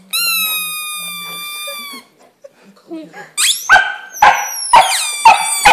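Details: English Setter named Luna giving her first howl inside a room, a steady high harmonic wail for about two seconds, then a pause followed by a run of short sharp yips roughly every half second.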